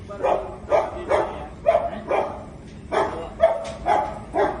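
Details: German Shepherd from India, described as angry, giving about ten loud, gruff barks in under five seconds, spaced fairly evenly around two per second, each bark short and punchy against a quiet background.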